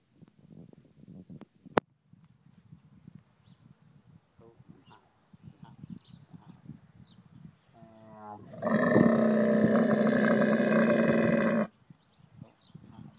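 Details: A female dromedary camel lets out a long, harsh, wavering moan, crying to her herder over her calf that died the day before.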